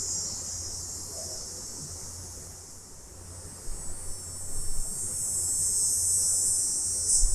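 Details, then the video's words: Summer cicadas at night, recorded in stereo, their high, hissing drone fading slightly mid-clip, then swelling stronger, with some soft low knocks and a steady low hum behind. "Cicadas At Night Sound Effect"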